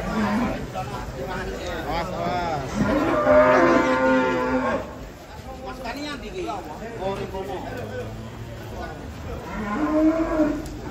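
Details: Agitated cows unloaded from a truck give long, strained moos with rich harmonics, one strong bellow around the middle and further lower calls later, while handlers call out in the background.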